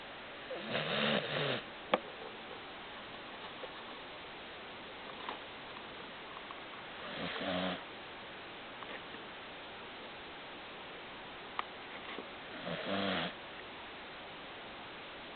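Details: Pet dog named Baron, sound asleep, snoring so loudly it resembles a sudden rumble of the ground: three deep, rasping snores about every six seconds, with quiet breathing between them.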